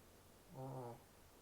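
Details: A Shih Tzu, a brachycephalic breed prone to snoring, gives a single low, droning snore lasting about half a second.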